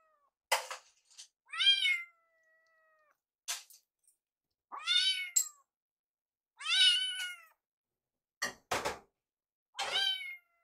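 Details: Foster kittens Yuki and Piyo, rescued babies, spending their final night together before leaving. Five or six thin, high meows, each arching up then sliding down, separated by silent gaps, with a few sharp knocks.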